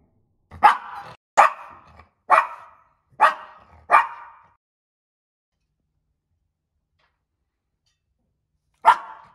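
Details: Yumi, a male Maltese dog born in 2021, kept as a pet and known to bark whenever he wants: five sharp, loud barks in quick succession, a long pause, then one more bark, with nothing else heard.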